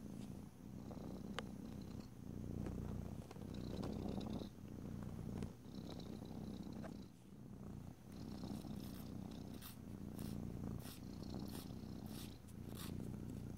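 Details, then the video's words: Pet cat purring during nail filing, a low continuous rumble rising and falling in gentle waves, with occasional scraping and tapping sounds toward the end. "ASMR Cat: Nailed It! [no talking] [filing long nails] [rubbing oil/lotion] [purring]"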